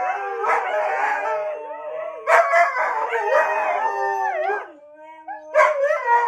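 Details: A Siberian Husky, set off by a laugh, howls in long, wavering, rising and falling tones broken by short yodelling swoops.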